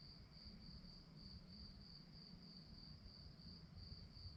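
A cricket chirps steadily at night in rapid, evenly spaced high pulses.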